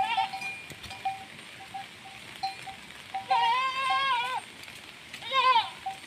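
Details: Goat-farm desi goat bleating twice: a long quavering bleat lasting about a second, then a shorter one, with short, faint, bell-like tones ringing between them over a hissy background.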